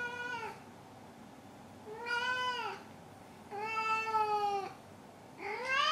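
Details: Domestic cat named Maru meowing indoors: four drawn-out harmonic meows, each about a second long, arching gently in pitch, spaced roughly every one and a half seconds with quiet room tone between.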